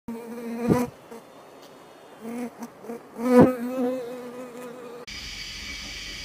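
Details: Bees at an apiary, a steady humming buzz with a few louder passes as individual bees fly close to the microphone, ending in a brief burst of broadband noise.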